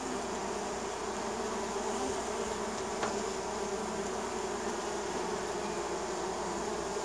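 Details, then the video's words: Neighbour's honey bees buzzing around a hive in spring, many insects at once: a steady, dense hum with layered drones near the low-mid range, continuous throughout, no other clear sounds. "Relaxing Bee Sound Effect - Honey Bee Landing Strip"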